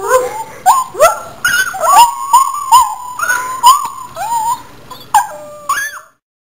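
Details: Domestic dog answering another dog's whine-like sounds with howls and cries, taped on a Polaroid camera; a run of short, bending, whistle-like howls, roughly one per second, fading out near the end.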